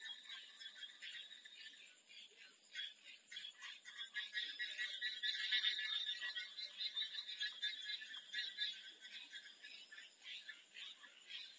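Many frogs call together in a thick, high-pitched chorus of quick pulsed trills and clicks that swell and fade in waves. A thin, steady high whine runs beneath the chorus throughout.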